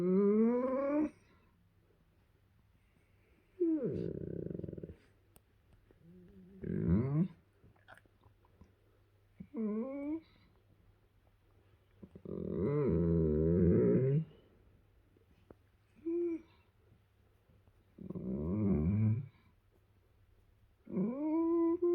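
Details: A young male German Shepherd being cuddled makes a string of whiny, yodelling pleasure noises, with rumbling grumbles between them.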